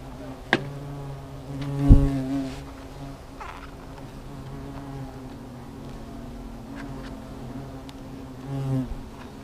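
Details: Hornets stirred up at their nest, a clear low buzzing drone with strong even tones, a loud swooping pass near two seconds, sharp taps and another close fly-by at the end.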